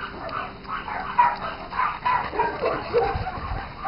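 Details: Four-day-old Saint Bernard puppy giving soft, short whimpering squeaks around one kilohertz, irregular and repeated about once a second, with a faint steady background hum.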